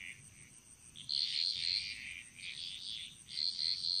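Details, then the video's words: Bali jungle frogs give short, bright, rattling calls in quick bursts, with a couple of clear piping notes among them. A high steady insect drone continues in the background. "Frog Mantras - Relaxing Sounds Of Bali"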